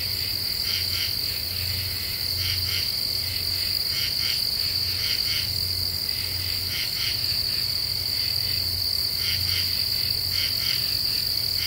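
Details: Common true katydids sing at night in Ozarks deciduous forest, after the cicadas have stopped: harsh rhythmic double rasps recur steadily over a high continuous drone, with a low rumbling hum underneath.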